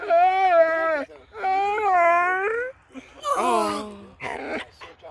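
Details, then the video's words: Basset Hound craving attention and acting disorderly, producing two long wavering howl-like whines about a second each, followed by rougher yelps and a grumbling moan, in a quiet room. "Basset Hound Receives An Attention Deficit, Becomes Disorderly!"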